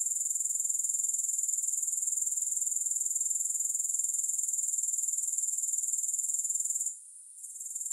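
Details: Shrill, continuous insect trilling from grasshoppers, very high and finely pulsed, holds steady for about seven seconds and then drops away abruptly near the end.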